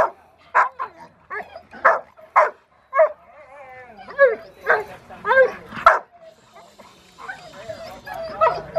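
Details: Rottweiler puppy Foofy barking during protection training post work on October 25, 2020: a loose series of sharp, harmonic barks and yips, roughly one every second or two, with a person talking quietly between them.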